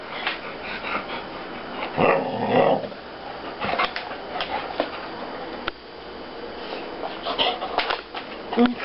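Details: Taya, a female Thai Ridgeback, 'talks' indoors while hungry and coming back for more food; a short moaning, tonal vocal burst rises and falls mid-clip, with a woman speaking Russian to her before and after.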